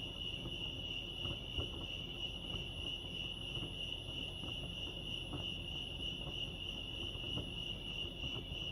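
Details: A chorus of crickets chirping at Lake Arrowhead, California: one constant piercing high trill with slight pulsing, set against quiet low-frequency rumble and occasional soft ticks.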